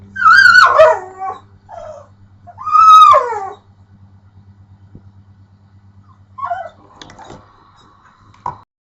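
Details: A pit bull makes drawn-out, wavering whine-howls that swoop up and down in pitch, directed at the owner's pet bird.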